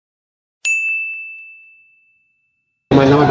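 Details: A single metallic ding rings out clearly and fades slowly over about a second and a half, followed by silence and then a burst of speech at the very end.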